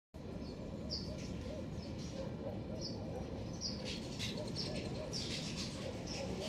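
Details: Black-tufted marmosets in a garden give short, high, thin whistled notes, spaced irregularly about every half second to second over a steady low rumbling background hum.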